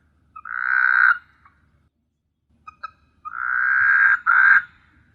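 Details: A frog calls at night on S. Hulhumeedhoo, a Maldives island teeming with frogs. It gives loud, buzzy, nasal croaks of about a second each, rising slightly in pitch, with a short pause and faint clicks between them.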